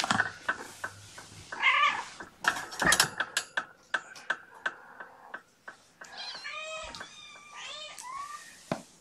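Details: Indoors on a June morning with mother cat Gamora and her five kittens. Clicking, knocking and human speech come first, then a quick run of several short, high, upward-curving mews.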